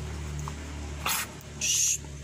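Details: Adult small Indian civet (musang rase) being tamed by hand-feeding: two short, harsh, broadband hissing bursts, the second longer and louder, over a low steady room hum.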